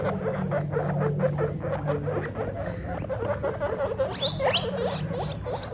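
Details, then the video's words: Guinea pig father meeting his babies for the first time, giving loud squeaks: a fast, rhythmic series of short chattering pulses, then a sharp, high, rising squeak near the end, over a low indoor hum. "Guinea Pig DAD meets His BABIES For the First Time! (Loud Squeaks)"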